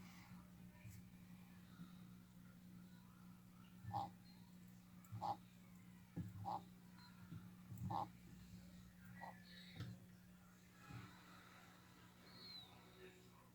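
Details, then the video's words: Crusher, a sulcata tortoise in his enclosure, reacting to a new rock placed there and biting it: a run of short squeaky notes about every 1.2 seconds, then fainter ones, over a steady low hum. "Crusher the sulcata tortoise. Reaction to a new rock in enclosure. Makes noises."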